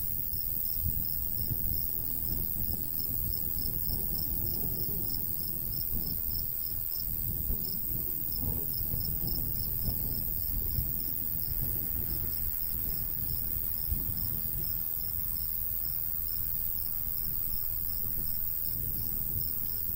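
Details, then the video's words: Crickets in a golden wheat field in the summer countryside, a steady train of short high chirps pulsing several times a second over the low rumble of a light breeze. "Countryside/cricket sounds"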